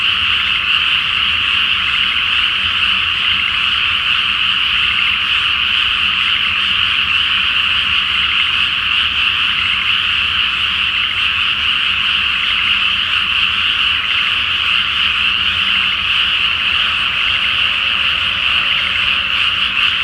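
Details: Japanese rice field flooded before planting, full moon overhead, with a large night chorus of frogs; countless rattling croaks blend into a continuous, even din lasting throughout, barely changing in loudness.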